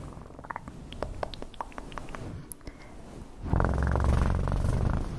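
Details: After several seconds of soft clicking and tapping, a cat's purr starts abruptly as a loud, low, throbbing rumble that continues to the end.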